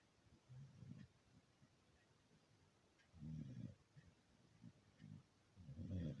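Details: Sleeping beagle snoring: low, rough, rasping breaths in short bursts, a strong snore every two to three seconds with quieter snuffles between, indoors with no other sounds.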